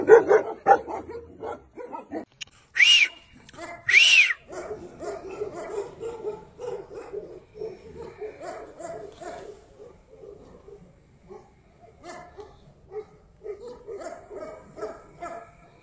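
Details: Tibetan Mastiff giving a loose series of short, mid-pitched yips and barks, roughly sixteen a minute, with two louder sharp bursts early on and quieter whimpering yelps trailing off toward the end.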